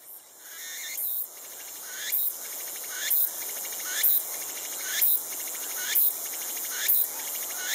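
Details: Tsukutsukuboshi cicada, the latest cicada of the season to start calling: a shrill, buzzy phrase repeated about once a second, each swelling to a sharp burst, over a steady high insect hiss.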